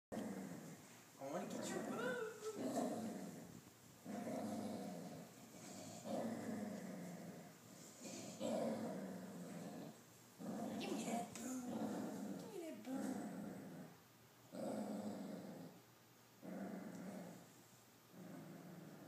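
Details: Pet dachshund growling while refusing to share his treats: rough, low rumbling growls in a steady series of bursts roughly every one and a half to two seconds, with brief pauses between, and some human voice mixed in.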